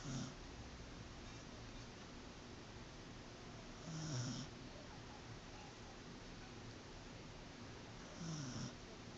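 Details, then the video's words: Corgi named Azuko, sleeping peacefully, snoring softly: low rasping breaths roughly every four seconds, each with a faint hissy burst, over a steady background hiss. "コーギー アズ子のいびき"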